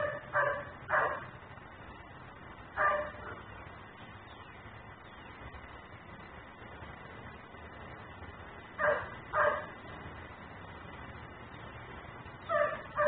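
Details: Nuisance dog barking while left outside, recorded by a camera running in ten-minute cycles; paired sharp barks come in spaced bursts about every three to six seconds over a constant low hum.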